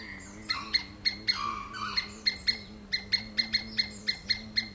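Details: Squirrel screams in steady, piercing chips about three per second, a brief whistled note mixed in early, over a constant low mechanical hum.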